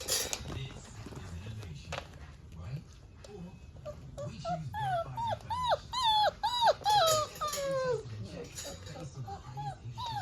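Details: Four-week-old fox red Labrador Retriever puppies give high, arching whines and yelps, about ten in quick series mid-recording, each rising then falling, over low rumbling background noise with human speech at the start.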